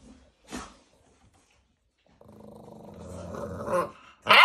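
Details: Two-month-old American Bully puppies at a kennel in Romania: a soft click, then a low harmonic growl building and rising in intensity over about a second and a half, ending in a sharp noisy burst.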